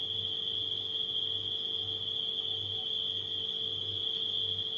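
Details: Nighttime crickets make a steady, unbroken high trill, joined by a refrigerator's low hum that swells and fades in a regular pulse beneath.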